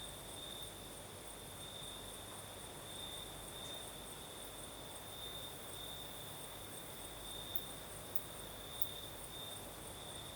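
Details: Southern Crimea at night, crickets singing in a night breeze: an even, shrill trill sits on a single pitch without pause, with a faint higher band and a few soft clicks over a low, breezy background.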